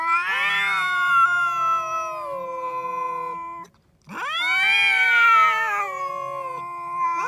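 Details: Two cats that quarrel whenever they meet: a falling, drawn-out yowl lasting over three seconds, a short silence, then a sharp rising howl that wavers and trails off, a second voice layered beneath.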